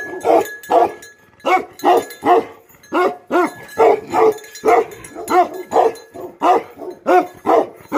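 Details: Bhote Kukur guardian dog with livestock, barking rapidly and persistently: some sixteen hoarse, booming barks in eight seconds, often in quick pairs.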